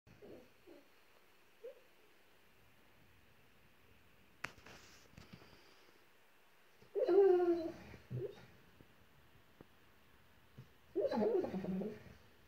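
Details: Sleeping dog dreaming and howling in its sleep: after faint soft whimpers, two muffled, wavering howls about a second long arrive several seconds apart, with a quiet room background between them.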